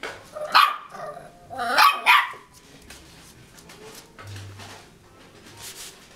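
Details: Young Cairn Terrier pup of two and a half months, acting bold: three or four shrill, strained barks with a growly edge over about two seconds, followed by faint scuffling and a low hum.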